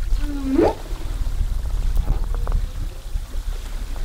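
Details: Humpback whale recorded underwater off Zamami in 2018 during whale watching: a single brief moan, a level tone jumping into a quick rising sweep, then low rumbling water and boat noise.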